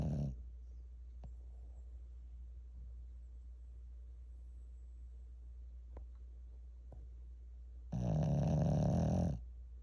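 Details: A sleeping Shih Tzu, seemingly dreaming, snores loudly with a rough, buzzy, low-pitched rasp over a steady background hum.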